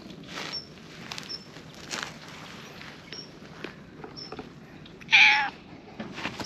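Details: Mackerel-tabby-and-white cat circling a person's feet in a park, seeking affection. It gives a single loud, short meow of about half a second near the end, amid soft footstep rustles and faint, high, brief chirps in the background.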